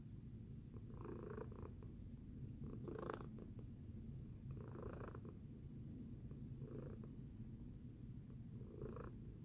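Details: Tacy the cat purring after breakfast: a steady low rumble throughout, with soft breathy swells rising about every two seconds as the purr cycles with each breath.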